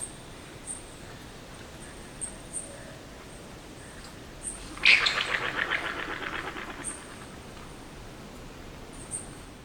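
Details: A yellow-bellied glider (Petaurus australis) in Australia gives a sudden harsh shriek that breaks into a gurgling, pulsing rattle.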